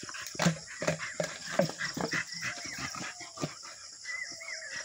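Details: Two Labrador Retrievers playing together on a farm in the early morning; short soft grunts and yips from the dogs, then thin rising-and-falling whines, with steady high insect or background hiss throughout.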